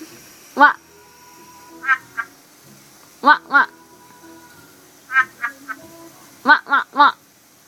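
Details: African big-eyed tree frog giving short, hollow, knocking croaks, mostly in quick pairs or triplets, each burst a fraction of a second, repeated every one to two seconds against a quiet background with a faint steady hum.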